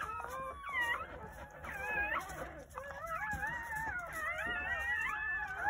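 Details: Newborn Jindo pups, among nine born on New Year's Day at a rural home, whimper in quavering high cries, some arching up and down, others long and level, several voices overlapping.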